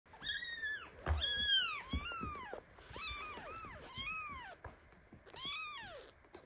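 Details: Baby kitten meowing loudly in indignation as mother cat Basi lies on top of him; a run of about six high arched meows, each rising then falling, some short and squeaky, a few overlapping.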